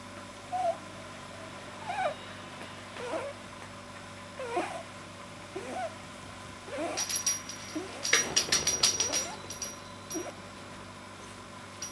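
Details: Male pet rabbit producing odd relaxed-state sounds from a likely too-long soft palate, 9 January 2010: a run of short squeaky snorts every second or so, then a burst of sharp rustling clicks midway, before the squeaks resume faintly.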